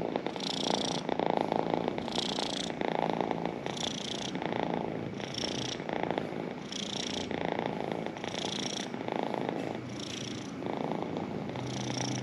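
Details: Domestic pet cat purring steadily, a rough pulsing rumble with breathing cycles of inhale and exhale repeating roughly every one and a half seconds, close and continuous throughout.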